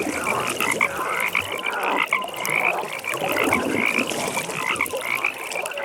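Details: Frogs calling at a pond in a nighttime setting: a dense chorus of rapid pulsed trills at a high pitch runs throughout, with scattered lower croaks and a steady soft ambient hiss beneath.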